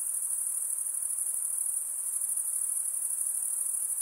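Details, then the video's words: Many night insects trilling at once in a continuous high, faintly pulsing shrill chorus, even in volume throughout, with a soft hiss below. "night insect sounds"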